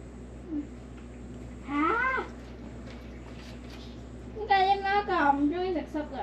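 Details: Stray cat filmed during a week in late July 2023 gives two drawn-out, harmonic meows, the first short and rising then falling, the second longer and wavering, with a low steady hum and faint background noise between them.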